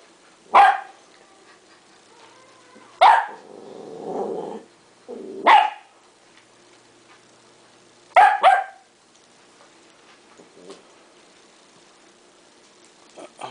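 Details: West Highland White Terrier puppy Duke, 3.5 months old, playing with sticky tape; shrill barks every two to three seconds, a low rumbling growl between the second and third, and a doubled yap after.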